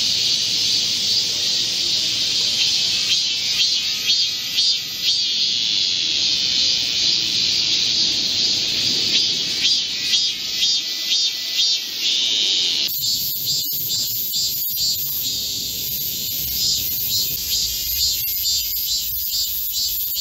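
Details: Korean cicada chorus in a midsummer green forest under a heat wave, 25 July 2024. A steady high buzz runs for about thirteen seconds, then gives way to a brighter, rapidly pulsing rasp that continues to the end.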